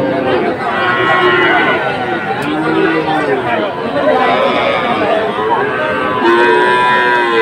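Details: Cattle market in Dhaka, Bangladesh, on 12 August 2024, with farmers buying Friesian and crossbred heifer calves; a couple of brief lowing moos sit under dense overlapping human voices and general crowd hubbub.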